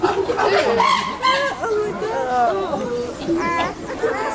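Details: Hooting chimpanzees in the Chester Zoo group: a string of higher, bending tonal calls, sliding up and down in pitch, given in quick succession with short pauses between them.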